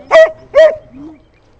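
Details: An elderly golden retriever bitch defends a stone she is chewing from Ganache, a Bernese Mountain Dog, during a break after training: two quick loud barks half a second apart, then a soft, brief whine.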